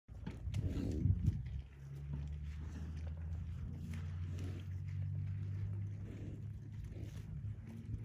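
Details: Big Angus bull, President 8422 of Brookhill, bellowing in a barnyard to tell two other bulls across the yard he is the boss; long deep droning moan held for several seconds after a louder opening burst.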